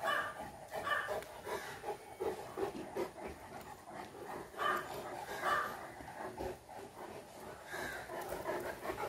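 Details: Dogs, two Fila Brasileiro brothers together with a Great Dane, giving short, rough barking and whimpering bursts repeated irregularly about once a second, with panting and shuffling noise in between.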